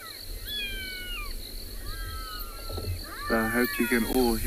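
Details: Black-backed jackals, two and maybe a third, call near a safari vehicle on a South African game reserve one afternoon in December 2020. High, sliding wails slope downward in pitch, then a person's speech overlaps and takes over toward the end.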